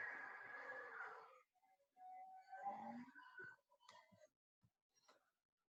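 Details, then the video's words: Bowhead whale song, which changes with the seasons: wavering, nasal moans and brief upswept squeals in a mid-pitched register. "as our final special treat let's listen to some of those bowhead whale songs"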